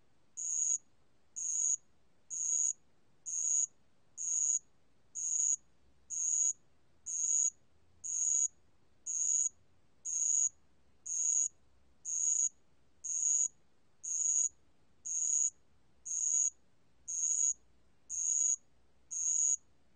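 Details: Bell cricket (알락방울벌레) recorded for a national biological resources archive in 2020, giving about twenty high, tinny ringing pulses at a steady pace of one per second, with faint low rumble between them.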